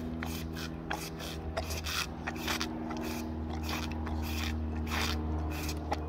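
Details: A tiger's rough tongue makes quick, dry rasping scrapes, several strokes a second, over a low steady hum, as captive tigers lick up cream they are being fed.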